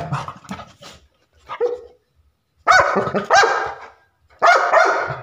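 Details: Barking Labrador Retriever: soft muffled grunts first, then after a short silence three loud, harsh barks roughly a second apart, each bright and ragged.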